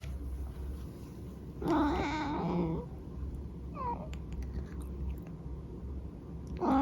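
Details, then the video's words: Eric the cat gives one drawn-out, warbling mrrp of about a second, with a wavering pitch and rich harmonics. A short rising chirp follows, then quiet room noise and a low hum. "Eric makes cute noises"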